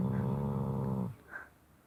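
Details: A Shar Pei pup asleep on the bottom of a bed indoors, snoring loudly: one rough, low, rumbling inhale of about a second that then fades into quiet room noise.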